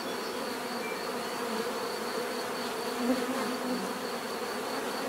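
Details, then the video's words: Bees' natural buzzing as a relaxing sound: an unbroken layered hum of many insects, with a brief slightly louder swell midway. "bees therapy relaxing natural buzzing sound"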